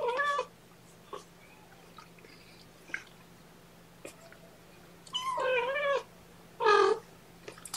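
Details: Kittens of the cat Seraphina, a litter of four transferred from a Lewis County, WA shelter to Purrfect Pals, being handled at lunchtime: two clear, wavering meows near the end, with faint short squeaks and quiet clicks before them in a small indoor room.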